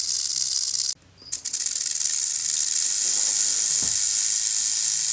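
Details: Venomous rattlesnake rattling in warning, a high dry buzz that cuts out abruptly for about half a second near the first second, then resumes and continues steadily to the end.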